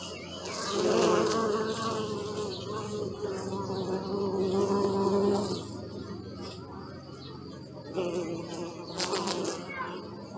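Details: Bee buzzing, recorded with a Sony Alpha 6000 camera: a steady, droning hum with layered harmonics that swells near the start and again around five seconds, fades, then returns in shorter louder bursts toward the end, with faint clicks and background hiss.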